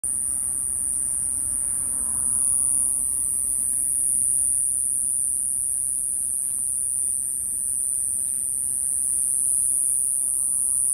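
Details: Iwasaki grass cicada filmed on 28 April 2024 until it flew off; a continuous, very high-pitched shrill drone holds steady throughout, over faint low background rumble.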